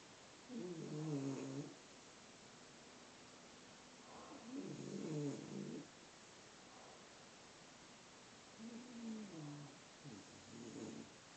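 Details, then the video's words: A sleeping bulldog snores: three rough, low rumbling breaths spaced roughly four seconds apart, each lasting about a second, over a steady background hiss. "Some more bulldog snoring"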